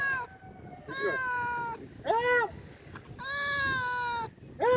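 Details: Big male domestic cat meowing loudly for food: five clear, harmonic-rich meows in under five seconds, two long drawn-out cries holding a steady or slightly falling pitch, alternating with short arched mews that rise and drop quickly.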